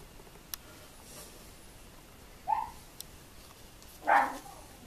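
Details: Female Tibetan terrier, born November 2015; two isolated short vocalizations in a quiet room, a brief rising whine followed about a second and a half later by a louder, fuller yelp, with a few faint clicks between.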